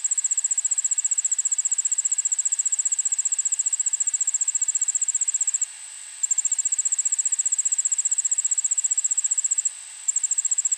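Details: Singing Allard's ground cricket, recorded at 1 pm on 9 August 2016 in a Montoursville, Pennsylvania suburban backyard: sustained shrill pulsed trill of quick regular clicks, with two short breaks, over low background hiss.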